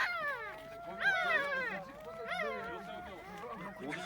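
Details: Two-day-old puppies in a box: several overlapping high, wavering whines rising and falling in pitch, with steady music tones underneath.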